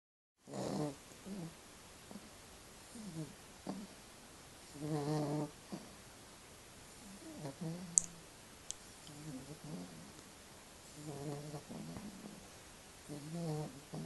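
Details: Staffordshire Bull Terrier puppy named Domino, newly arrived home, snoring while asleep: low nasal snores with a harmonic buzz come in short bursts every second or two, separated by quiet breaths, in a small quiet room.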